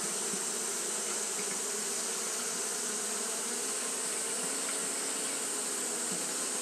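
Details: Japanese honey bees fanning at the hive on a hot day, a dense steady hum of many wings with a bright hiss high up and faint low buzzing bands, unbroken throughout.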